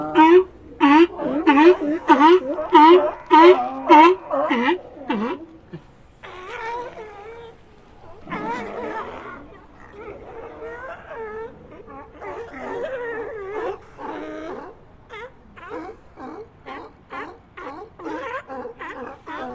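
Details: Barking seal, with loud, evenly spaced barks about every two-thirds of a second over the first five seconds, each bark rich in harmonics with a bent pitch, then softer, irregular moaning grunts and quieter barks follow.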